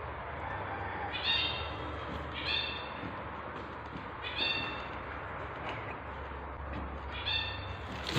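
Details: Tabby cat giving birth to kittens; short, bright harmonic squeaky calls repeated roughly every second, each brief and slightly falling, over a constant low hum.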